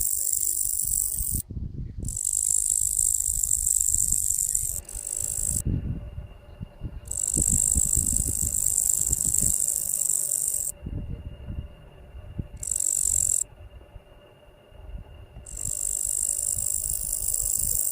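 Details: High, dry, continuous hissing buzz from locusts, broken by several abrupt silent gaps. A faint steady hum and low rumbling run underneath.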